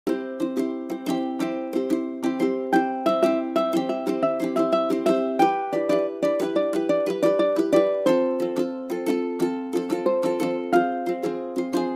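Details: Bright plucked ukulele melody with a steady strummed rhythm fills the room, a cheerful repeating tune and no animal voice heard.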